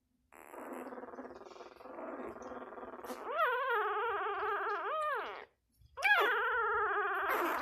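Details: Six-day-old Labrador Retriever puppy crying in a long continuous buzzy whine that turns into loud wavering squeals, rising and falling in pitch, a short break, then another sharp rising squeal.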